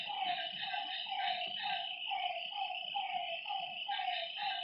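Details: Lakeside frogs at night give regular, bleating notes roughly every half second, several callers overlapping, with a continuous shrill hum of night insects behind them.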